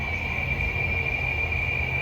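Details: A cicada on the San Antonio River Walk trail, Texas, that sounds unlike familiar cicadas, gives a steady, high, buzzing drone holding one unbroken pitch over a low rumble of wind.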